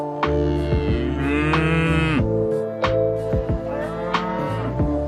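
A cow moos in long, low, droning calls with rich harmonics, overlapping one another.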